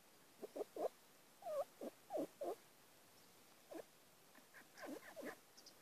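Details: Three-week-old fox cubs at Bjørneparken, starting to get adventurous: a series of short squeaky yelps, some rising and falling, in scattered bursts of two or three with brief pauses between, over a quiet background.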